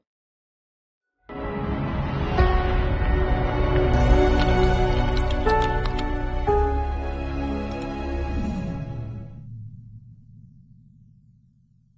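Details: Silence gives way to layered instrumental music with a low bass drone and bright chimes, which fades out near the end with no barking heard.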